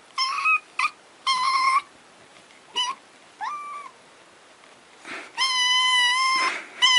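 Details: Kittens and cats in a funny compilation giving high, flat, sustained mewing cries in short and long bursts, one brief rising squeak in the middle, ending in a long steady wail with a faint hiss.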